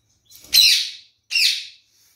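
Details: Kakariki parakeet from a kept pair in which the male drinks a lot of water: two loud, harsh, screechy calls, the first longer and the second shorter with a slight upward curve, about three quarters of a second apart, over a quiet background.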